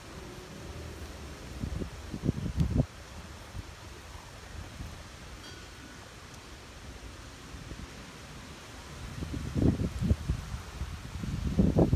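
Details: Only low rustling and wind-like bumps outdoors, with no animal calls heard.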